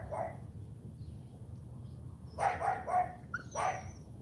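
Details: Female AKC Cane Corso puppy during a morning training session: a few short, harsh barks in a quick cluster, then one more bark after a brief pause, with a low background hum and a trainer giving sit commands nearby.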